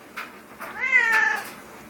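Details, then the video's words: Pet cat talking back after being stuck in a tree: a short chirp then a long, slightly falling meow lasting about half a second, quiet room with owner's voice around it. "Talking Cat"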